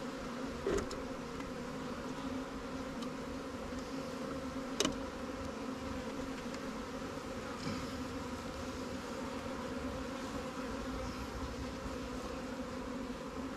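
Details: Freshly caught honey bee swarm in a Langstroth or Warre hive, fed resources robbed from stronger hives; constant humming drone throughout, broken by a sharp knock near five seconds and a few soft clicks.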